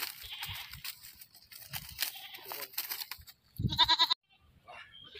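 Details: A goat that was caught and then slaughtered gives one loud, harsh, wavering bleat lasting about half a second, after several seconds of people talking nearby, followed by quieter voices.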